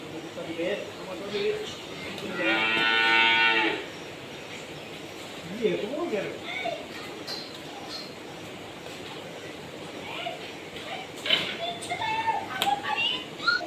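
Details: Cattle being delivered from a farm for Eid al-Adha: one loud, drawn-out, strongly tonal moo lasting about a second and a half, amid people talking and steady background noise.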